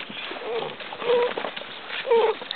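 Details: Basset Hound puppies, interested and greeting visitors, give short high whining squeaks in two bursts about a second apart, with a woman's voice and rustling outdoors.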